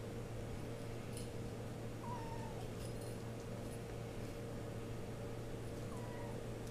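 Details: RagaMuffin kittens of one litter, 8 weeks old, indoors with their mother. Two faint, short, high meows, each sliding downward in pitch, about four seconds apart, over a steady low hum and quiet room noise.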